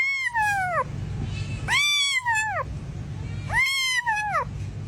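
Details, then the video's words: Domestic cat giving three drawn-out meows in quick succession, each arching up then sliding down in pitch, with a low background hum throughout. "Meowing |Cat Sound"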